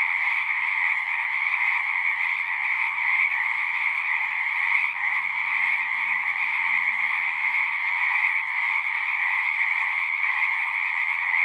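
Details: A steady mass chorus of singing frogs, the overlapping croaks merging into an even, high trilling drone with a softer lower layer; faint low rumbles pass underneath but the frogs dominate throughout.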